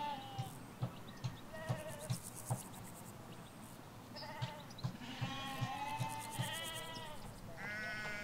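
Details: Ewes and lambs in Hampshire countryside pasture: soft regular thudding knocks at first, then from midway a burst of overlapping wavering bleats, one long and high at the end, with high buzzy trilling above.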